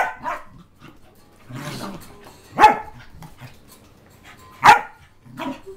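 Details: Two tri-colour Pembroke Welsh Corgis play fight without trying to hurt each other, barking sharply and growling.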